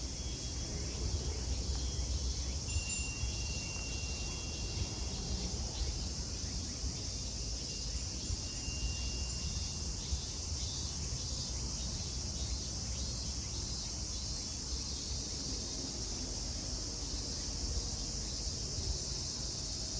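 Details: Unbroken high-pitched buzzing of cicadas at Kozoji Temple in Yana, Kisarazu, Chiba, Japan, steady over twenty seconds, with occasional faint chime notes and low environmental rumble underneath.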